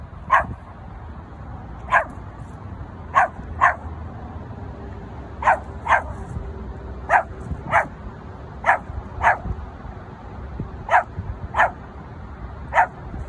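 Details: Pomeranian Hendo, born 20 August 2021, gives a steady run of high, clipped barks, often doubled, about one every second, against faint low background noise during play with a sheep toy.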